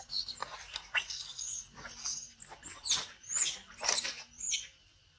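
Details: Monkey sounds involving a mother warning her baby, Brisco: a run of shrill, high arching screeches, about eight in five seconds, each rising then falling, with faint rustling in between.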